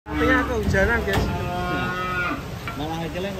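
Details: Cattle being unloaded from a truck give overlapping, wavering moos in quick succession, several voices at once, with faint background music throughout.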